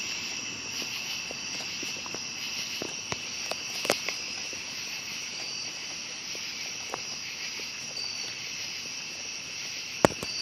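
A steady, shrill night chorus of cicadas with crickets, droning without pause on several high pitches.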